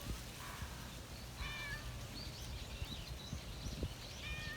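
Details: Stray cat in a park calling out to a passer-by: three short, clear meows with stacked harmonics, spaced unevenly across a few seconds, over a steady low rumble and scattered chirping of small birds in the background.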